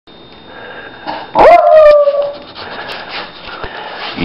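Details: A female pet dog howls at the camera, signalling she needs to go outside to the bathroom: one loud, wavering tone sliding downward for about a second, followed by quieter room noise and a brief woman's voice.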